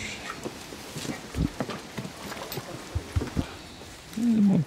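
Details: Basset Hounds, 23 of them on a 5-mile group walk around Ham Hill, Somerset; one short, low, drawn-out bay with a slightly wavering, falling pitch near the end, after scattered footsteps and people chatting.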